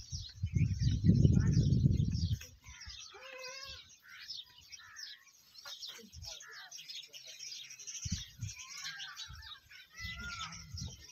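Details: Camel in the Tharparkar desert, Pakistan, giving a deep, rough grumbling rumble for about two seconds, followed by quieter scattered low thumps and faint background chatter and chirps.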